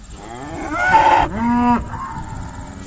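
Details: Irish Dexter cattle sorted on a busy day at Stone Meadow Farm: one drawn-out moo that dips and swells, followed by a brief fainter call, over a steady faint high whine.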